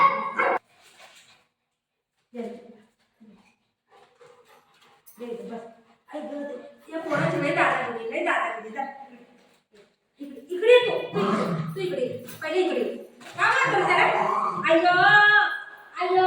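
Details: Golden Retriever greeting its mom on a surprise visit: excited whimpers and yelps that rise into high, wavering whines toward the end, mixed with people talking and laughing indoors.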